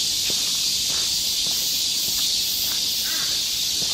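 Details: Summer cicadas in Galsan Park forest, Seoul, sing together as an unbroken high hissing drone, while faint footstep-like taps and a brief bird chirp sound beneath during a walk.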